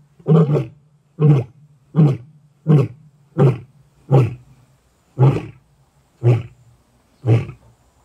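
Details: A big male lion (Panthera leo) in Greater Kruger National Park gives a contact roar, a series of deep, booming grunts about once a second, keeping in contact with other lions.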